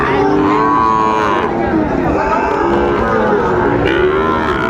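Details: Sahiwal bull calves, bought by farmers from Dhaka at a livestock market on 30 August 2024, giving a drawn-out moo and then a second fainter one, against a steady hum of market voices.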